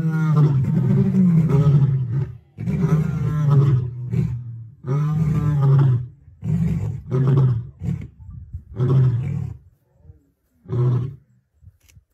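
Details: A white lioness of the Birmingham Pride roaring in Kruger, South Africa, on 10 June 2024: deep moaning roars that shorten into a series of grunting bursts, the last ones faint and spaced apart.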